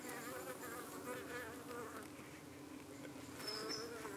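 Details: Honey bees at a hive in the UK in the evening, harried by parasitic flies darting at their abdomens while the bees defend themselves; a dense, wavering buzz of many wingbeats, layered droning tones shifting in pitch, with a brief higher whine near the end.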